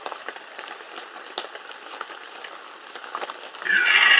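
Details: Rutting red deer in Bieszczady, 2015, where a loud harsh bellow with strong harmonics breaks in near the end after several seconds of dripping, rain-like crackle and is cut off while still sounding.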